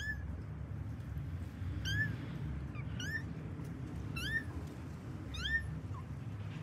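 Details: Kittens in a pet cat family searching for their mother cat give thin, high meows, each rising then dropping, about five calls spaced roughly a second apart, with a constant low hum behind them.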